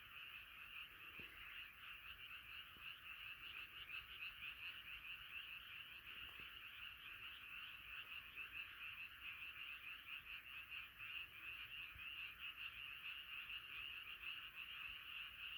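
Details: Massed frog chorus, a steady pulsing high trill from numerous callers blending into one continuous drone, with a few faint clicks in the background.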